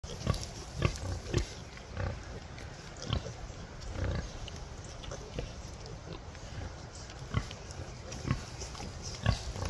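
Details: Free-range Hereford piglets at breakfast time on a farm, a crowd of short, low, rapid grunts and snorts overlapping continuously, with rustling and scuffling noises throughout.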